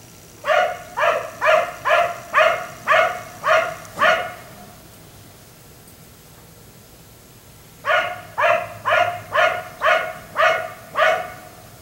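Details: A black Labrador left outside until 1am at night barks in two steady bursts: about eight sharp, evenly spaced barks, a pause of nearly four seconds, then seven more at the same brisk pace.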